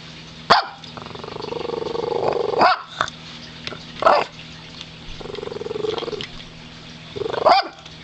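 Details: Pet dog growling while begging for treats: two drawn-out, rapidly pulsing rumbles, each rising in intensity and lasting over a second, broken by sharp clicks and brief snapping sounds.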